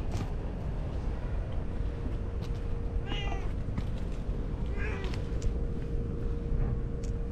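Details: Stray calico cat waiting on park stairs for someone to pet it; two brief, high, wavering meows about two seconds apart, faint over steady background noise and a low constant hum.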